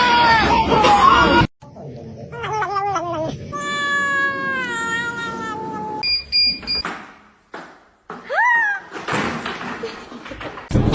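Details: Domestic cat from a funny cats compilation meowing indoors: long, slightly falling harmonic meows and a short upturned cry, mixed with loud talking and laughter.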